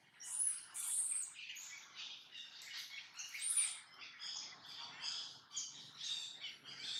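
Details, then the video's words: Brady the monkey repeats a strange noise again and again: thin, piercing squeals and squawky chirps about once a second, rising and falling in short bursts, with no other clear sounds. "Don't Know What Happened To Brady But He Keeps Making This Noise"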